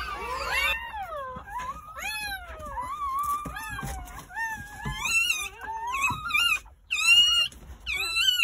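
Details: Newborn Jindo dog puppies from a litter of nine born on New Year's Day at a countryside house, squealing in high, wavering cries that rise and fall, several overlapping and more piercing toward the end, indoors.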